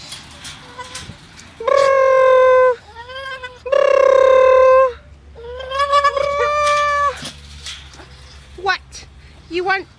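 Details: English Bulldog male whining, wanting through the fence to reach the greyhounds: three long tonal cries of about a second each, steady then sagging, with broken squeaky whimpers and a man's voice talking between them.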